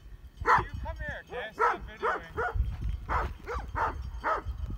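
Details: In Heber, Utah, Great Pyrenees sheep dogs keep barking at mountain bikers: deep barks at irregular intervals, mixed with a man talking and with wind buffeting the microphone.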